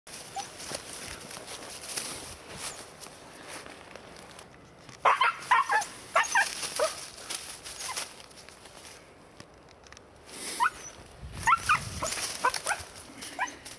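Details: A 4-month-old female Siberian Husky puppy, out deer hunting in Sweden, gives bursts of high, yelping barks over a steady outdoor rustle.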